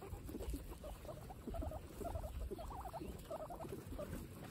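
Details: During a calm snack time, guinea pigs produce quick, chattering squeaks in small clusters, each a few rapid notes, repeated irregularly over soft low background noise.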